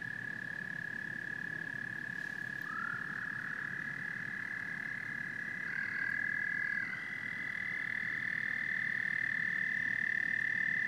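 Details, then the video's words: Massed frogs and toads keep up a continuous high-pitched trilling chorus; a short rising call slips in near three seconds, and the chorus grows fuller and louder after six seconds. "Frogs and Toads Symphony"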